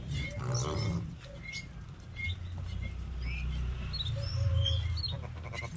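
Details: Sheep, filmed around sheep milking, give deep, wavering bleats over a low rumbling background, with thin chirps above.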